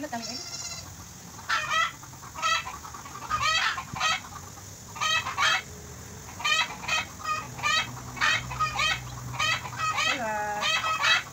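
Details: Goat kid, newborn and affectionate, bleating while being bottle-fed in Bahrain: short quavering, pulsed bleats repeated every second or so, some in quick pairs, the last one falling in pitch, over a steady low hum.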